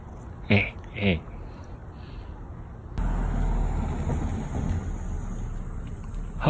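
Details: Pet cat named Beotji, regaining its voice after losing it, gives two short harmonic meows about half a second apart. A steady rushing, engine-like background noise follows for the rest of the clip.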